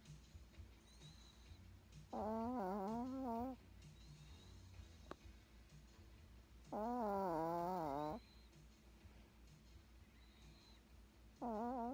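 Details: Yorkshire Terrier snoring loudly: tonal, whining snores with wavering harmonics, each lasting about a second and a half, returning roughly every four to five seconds, with a quiet room hum between them.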